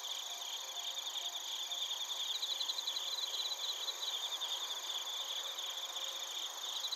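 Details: Crickets and bell crickets at night chorus level in Narita, Chiba Prefecture, Japan, captured with a TASCAM Portacapture X8. Quick high beaded chirps rise over a constant shimmering insect hum, peaking in the middle of the recording.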